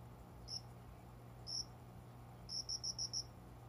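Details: At dawn in summer, a cricket hidden in plants by a closed window sounds two lone high chirps a second apart, then a quick run of six ringing pulses; soft constant low hum in the room.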